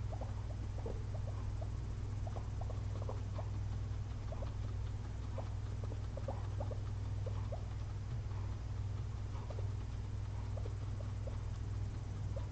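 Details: Two sleeping pet guinea pigs resting after a long day of eating frozen blueberries give tiny high chirps, several a second, scattered unevenly across a constant low droning hum.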